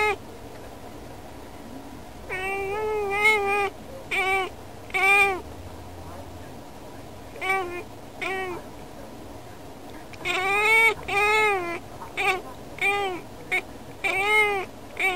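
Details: Yukke, a female house cat, talking to birds beyond a window, wanting to play together; bursts of short clipped meows and chirrups in quick clusters, with a quiet gap mid-clip before a rapid chattering series.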